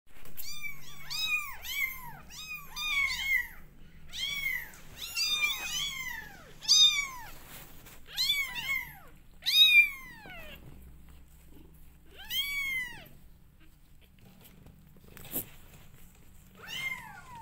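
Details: Twenty-day-old kittens of a domestic cat family, several calling indoors: high arched meows with rich harmonics, many overlapping in rapid bursts through the first ten seconds, then sparser single cries after a pause.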